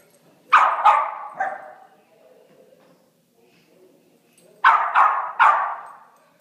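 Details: Puppies at play give sharp, high yipping barks in two quick bursts of three, each yip bright and falling away, with a quiet pause between the bursts.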